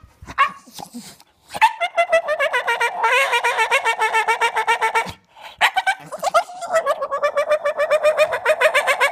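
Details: A male Staffordshire Bull Terrier who loves balls and sticks makes long, wavering, pulsing whines and yodel-like moans, asking to play.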